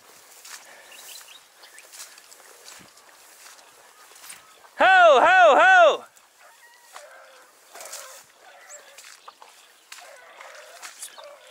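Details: Hunting Dachshund during a driven fox hunt in Victoria on 23/10/2022. One loud burst of rising-and-falling baying, about a second long, stands out in quiet rural surroundings with faint rustles and distant sounds.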